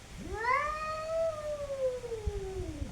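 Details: A single cat's long, steady yowl during a fight, rising sharply, holding its pitch, then slowly sliding down over about three seconds, with faint low rumbling beneath.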